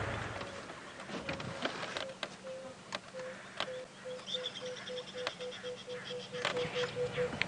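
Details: A tree squirrel at sunrise on a bush walk in Djuma Game Reserve, South Africa, alarm-calls, likely at a hawk eagle, in a steady run of short mid-pitched notes, about three per second, with sharp clicks and a brief higher bird-like call.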